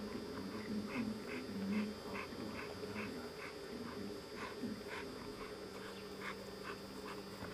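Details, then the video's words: Two dogs, a Malinois named Zabó and an Amstaff named Chefrem, romping in a garden; a dog whines and whimpers in short repeated bursts, roughly one per second, over a steady low hum. "Malinois Zabó und Amstaff Chefrem beim toben im Garten"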